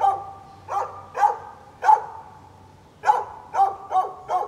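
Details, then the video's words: On 13 November 2020 a neighbour's dog barks at birds. Its loud, clear barks come in an uneven series, about eight in under five seconds. There are short gaps between them, and each bark has a bright, ringing tone. "Neighbor's barking dog"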